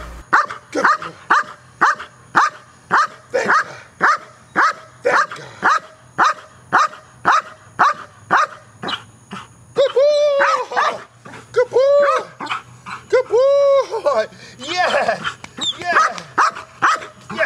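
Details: Neros, a dog in KNPV-style protection training, learning an aggressive bark at a box: sharp, evenly spaced barks about twice a second for nine seconds, then higher whining yelps while a handler keeps praising.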